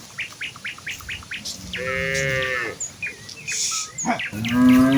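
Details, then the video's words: Village cows in a herd head to the fields on a morning path, calling out to one another. A drawn-out, slightly falling moo follows a run of quick rhythmic bird chirps, and a lower moo begins at the end. "A herd of village cows walk towards the fields with their distinctive "moo" sound in the morning"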